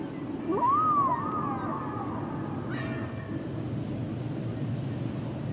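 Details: A humpback whale gives a single long whoop that rises steeply, bends over and holds a level wavering tone for about two seconds, followed by a brief fainter high cry, amid steady low water noise.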